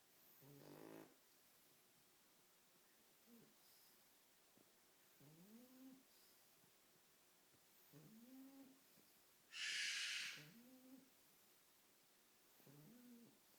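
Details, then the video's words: French Bulldog puppy asleep after a long night of playing, snoring softly in short, rasping, slightly rising breaths about every one and a half seconds, with one loud cockatoo scream in the background. "My French bulldog puppy snoring after a long night of playing."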